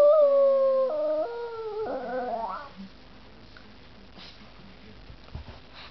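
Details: An 8-month-old Boston Terrier sings along to his favourite song, howling in long, wavering tones that step between pitches, then trail off.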